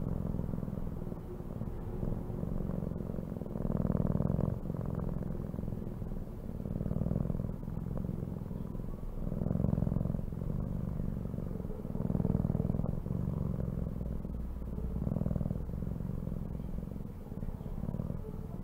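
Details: Cat purring continuously for a long stretch, a deep buzzing rumble that rises and falls in regular waves of about three seconds with each breath in and out.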